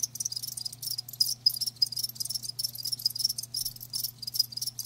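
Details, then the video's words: Several live crickets trill in a bright, high chorus, the chirps coming in short clustered bursts separated by tiny pauses, over a soft steady low hum. "Live Crickets 60min "Natural Sound""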